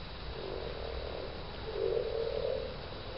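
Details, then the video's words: Common frogs at a permaculture site in Towneley Park, Burnley, Lancashire, in March 2010; low, soft purring croaks in two drawn-out rumbling bursts, the second louder, over steady background hiss. "Common Frogs March 2010"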